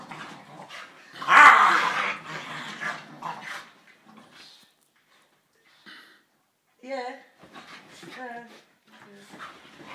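Staffordshire Bull Terrier puppies yip and whine in short bursts while a person speaks.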